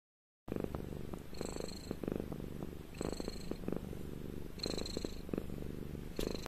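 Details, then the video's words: House cat purring contentedly while groomed with a brush and caressed; a soft, low rumble throughout, overlaid by repeated hissing brush strokes every second or so. "Муркітлива Розкіш: Котик Насолоджується Грумінгом та Пестощами"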